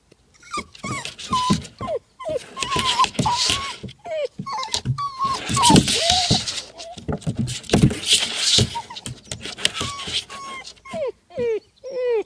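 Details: Nine-week-old Vizsla puppy repeatedly trying to climb a slide: a stream of high, wavering whines and yelps, some rising and falling, broken by scrabbling and thumping noises.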